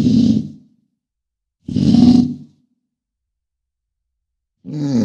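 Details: An American bison (Bison bison) gives deep, rough bellows in short bursts separated by silent pauses.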